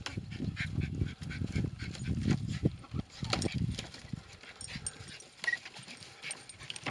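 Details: Two terriers working a groundhog (whistle pig), giving a busy run of low, gruff barks and whines over continuous scuffling and rustling, with brief human voices in the background.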